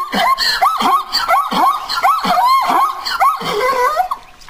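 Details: Zebra giving a rapid run of loud, yelping, squeaky barks, each note rising then falling, repeated about once a second and almost without pause.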